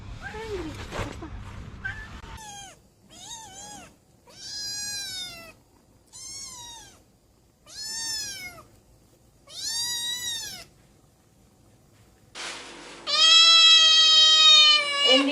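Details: Domestic cat calling with a run of drawn-out harmonic meows, each arching up then down, spaced one to two seconds apart, ending in a loud, long, high-pitched cry; a person speaks briefly at the start.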